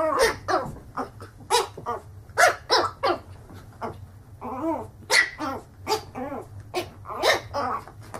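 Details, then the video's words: Dog barking in a funny compilation, with short sharp barks in irregular bursts and some longer arched, whiny barks in the middle, over a steady low hum. "Funny Dogs Barking"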